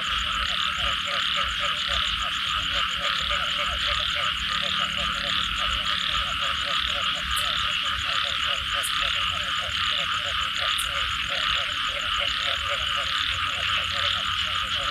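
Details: After rain, many frogs croak in fast, steady pulses for the whole stretch, backed by a loud continuous high-pitched drone, with a few sharp faint ticks near the middle.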